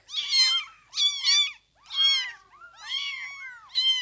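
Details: Overlapping high-pitched mewing of newborn kittens, five loud bursts of bending, wavering cries separated by short quiet gaps.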